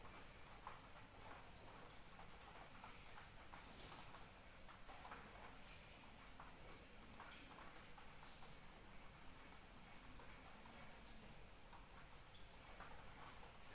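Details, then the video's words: Cricket calling during rain, a steady high-pitched continuous trill with finely pulsed texture and upper overtones, holding unbroken throughout, over soft scattered rain patter. "Suara Hujan dan Jangkrik Pengantar Tidur"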